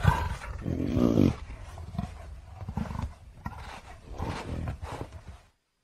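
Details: Low, gravelly leopard roar with a strong grating burst around the first second, then a run of quicker, softer rasping grunts that fade out before the end.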